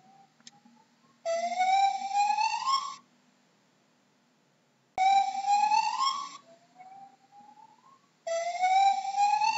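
A gibbon gives loud, siren-like whoops that slide upward, repeated in long bursts.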